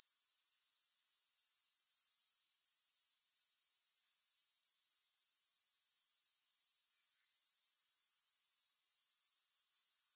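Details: Unbroken, thin, high-pitched chirring of grasshoppers, with no music, the fast regular pulses holding an even level throughout without any pause or other sound.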